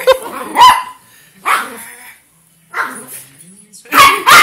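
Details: A dog gives four widely spaced barks, harsh and broad, separated by pauses of about a second, with faint low background sounds between them.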